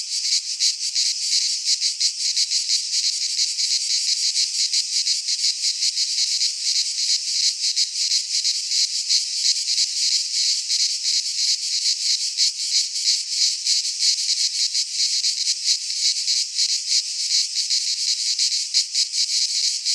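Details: Chorus of cicadas in a Greek pine forest at midsummer, a harsh, high, rattling buzz that never pauses, with fast regular pulsing and no other sounds.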